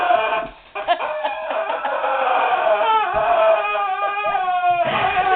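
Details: Indoors, a protector dog puzzled by a squeaky rubber duck toy whines in long, drawn-out, nasal tones that slowly waver and fall, after a brief quiet moment near the start.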